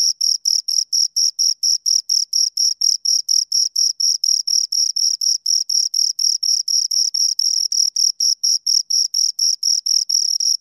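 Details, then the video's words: Two crickets chirping close up, a steady train of short high-pitched pulses about four per second, with a second faint band higher up and a clean, silent background. "Two Crickets Chirp Sounds"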